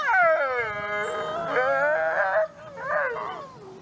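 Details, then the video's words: Captive-born gray wolf Nikai at the Wolf Conservation Center, South Salem, New York, on Christmas Eve: a falling howl followed by wavering, broken, yip-like notes that fade at the end. "Wolf Howls"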